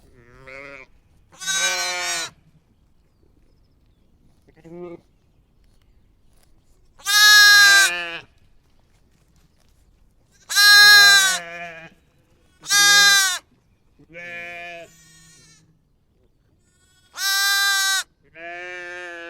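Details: Lambs and sheep give a series of loud, quavering bleats, some high and thin, others deeper, at irregular intervals; sheep bleating.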